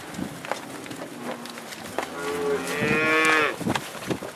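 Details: Black Angus cattle on a northeast Kansas farm, let out onto spring pasture: a low moo early on, then a louder, higher harmonic bellow held about a second, amid clicking and knocking sounds.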